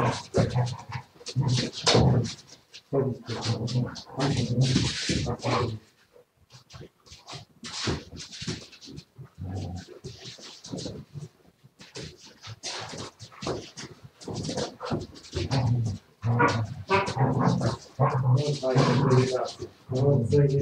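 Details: Siberian Husky heard indoors on 07.02.2019, making repeated grumbling whines and yowls in irregular bursts, with panting-like breaths and a short lull near the middle; faint human speech in places.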